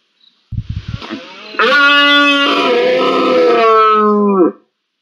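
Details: Red deer stag roaring during the rut in the first week of October in Spain: a few short grunts, then one sustained, harmonic-rich bellow of about three seconds held at a steady pitch before cutting off abruptly.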